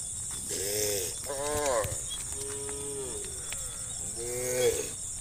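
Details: Herd of cows roaming a country road in late afternoon, calling others to come home to the barn; four short, wavering moos overlap in quick succession over a steady high buzz of insects.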